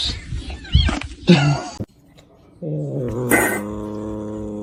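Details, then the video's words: Domestic cat giving short, strained yowling calls in the first two seconds, followed by a steady, droning harmonic tone broken by a sharp, loud burst; voices and household noise in the background. "Funniest Cat"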